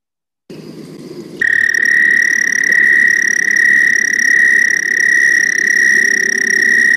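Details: An American toad, one of Rhode Island's amphibians, gives a long, steady, high musical trill held on one pitch without a break, a sustained note often mistaken for a cricket and soothing from afar.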